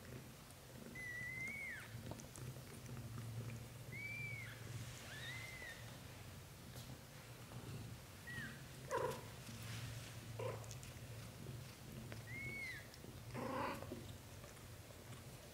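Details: British Shorthair kittens with their mother Samel, Lotus dreaming in her arms as his brothers drink milk; about five thin, arched kitten mews spaced one to three seconds apart over a continuous low purring drone, with occasional rustles.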